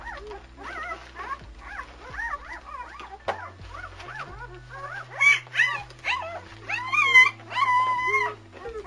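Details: German Shepherd pups, three males of Anarchy's litter sired by Core, born February 18, 2009: a busy chorus of high, rising-and-falling squeals and yelps overlapping almost continuously, louder toward the end, with low household hum.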